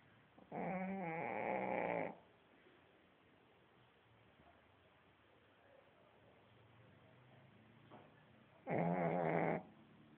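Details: Heavy snoring from a dog fast asleep, two loud grating snores with a rattling buzz, the first about one and a half seconds long, the next arriving some seven seconds later after near silence.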